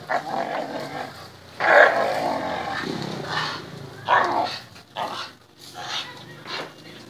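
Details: A tricolor Bull Terrier grumbles and growls in rough, broken bursts during play.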